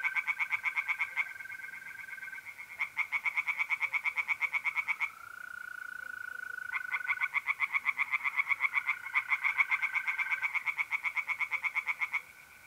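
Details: Mid-April night at a pond in north-east Italy: tree frogs croak in rapid pulsed series broken by short gaps, and trilling mole crickets keep a smooth continuous tone between the bursts.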